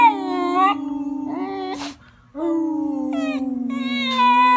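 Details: Long mournful howling from Bender the beagle, a usually quiet dog doing his first full howl. Sustained tones glide and waver, drop out for a brief silence near the middle, then resume in a long falling wail.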